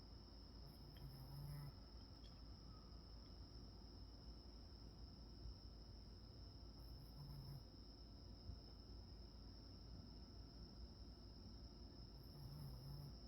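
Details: Sleeping Shih Tzu snoring softly, one low rumbling breath about every five and a half seconds.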